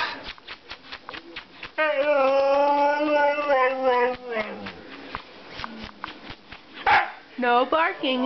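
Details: Male Siberian Husky indoors, telling his owner he wants to go outside: a long, steady, tonal howl held for over two seconds, then a falling tail and shorter yelping, rising-falling calls, while a person speaks to him.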